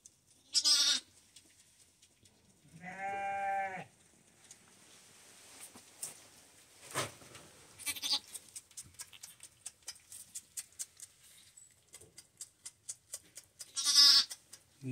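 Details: A newborn lamb, still steaming and being cleaned by its first-time mother, gives its first bleat, a single short, quavering bleat amid rustling and snuffling noises.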